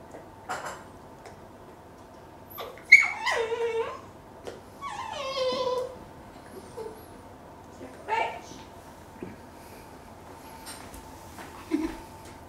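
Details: Pet Dachshund indoors giving a few high whining whimpers and falling yips, in short bursts separated by quiet gaps, with a steady faint hum in the room.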